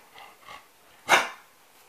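A Rottweiler gives a single loud, harsh bark after two faint, softer whimpering sounds.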